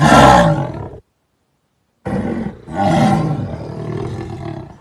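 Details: Jaguar roar: a harsh, loud blast that breaks off abruptly into a second of silence, then resumes as a rough, throaty roar in pulses, fading into a lower rumbling growl.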